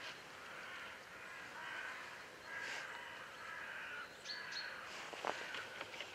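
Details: Roe deer, a male and a female, heard on a walk on 19 February 2012: hoarse, rasping broadband barks in drawn-out bursts near the start and around the third second, followed by a thin high chirp and faint clicks.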